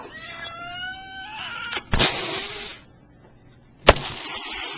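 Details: A male cat, described as fat, gives a wavering harmonic yowl for almost two seconds, then a harsh broadband hiss lasting about a second, followed after a pause by a short sharp spit-like burst.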